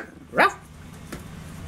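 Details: Three-week-old Corgi puppies play-fighting; one short, sharp rising yelp with a bright harmonic stack, followed by a faint click and quiet room noise.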